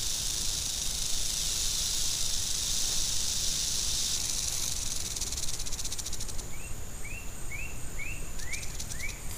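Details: Angry western diamondback rattlesnake giving a continuous high buzzing rattle that breaks into separate rapid clicks partway through, while a series of short rising chirps repeats in the second half over low background noise.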